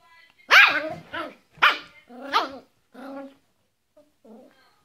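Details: Yorkshire Terrier giving a few loud, sharp yaps that trail into softer, whiny, grumbling sounds, then a faint short whimper.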